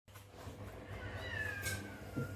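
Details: Domestic cats screeching outside a house at night, a sound a puppy hears: one faint, drawn-out wavering wail sliding slowly downward over more than a second, above a steady low background hum.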